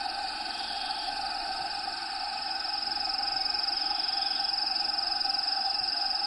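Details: Feeder crickets in a bearded dragon vivarium with Diego the dragon give a shrill, rapidly pulsed trill that grows clearer and steadier after the first few seconds, over a constant hiss of habitat sounds played in the background.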